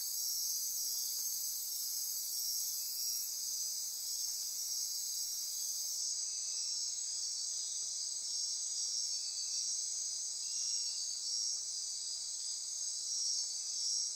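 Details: Insects chorusing after dark in the Osa Peninsula forests of Costa Rica, near Corcovado National Park: several continuous high-pitched trills stack into a constant shimmering wall, with one band cutting out partway and softer pulsing notes beneath.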